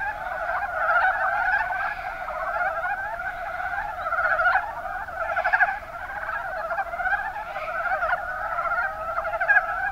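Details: Chorus of Rana ornativentris, the mountain brown frog, in Kumamoto's Kuma Basin, Japan. Many frogs croak together in soft, rattling, chuckling notes that form an unbroken wall of sound, with brief louder bursts every second or two.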